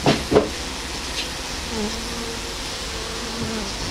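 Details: Honey bees on the hive's landing board fan their wings to spread an attractive scent from their Nasanov glands. A steady, low droning hum runs throughout, with two sharp knocks near the start.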